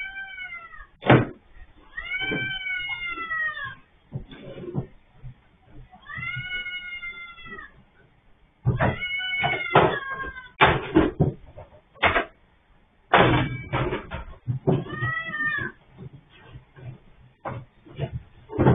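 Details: Orange cat with its head caught in an automatic litter box, recorded on CCTV: short, arching meows mixed with frequent bangs, clatters and scraping as the machine is handled.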